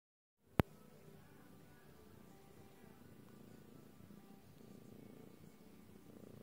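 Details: Lilac British Shorthair cat purring softly: a low, even rumble that runs steadily after a single sharp click near the start, with little else audible.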